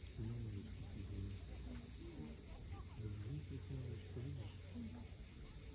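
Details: A constant high buzzing of cicadas at sunset, Cape Fiolent on Crimea's steep coast, carries over a busier layer of low warbling tones.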